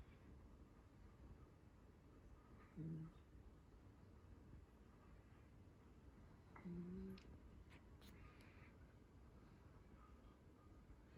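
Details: Chii, a cat picked up long ago, asleep on a lap and snoring: soft low nasal snores about every four seconds, each a brief murmuring hum, over a quiet indoor hiss with faint handling rustles.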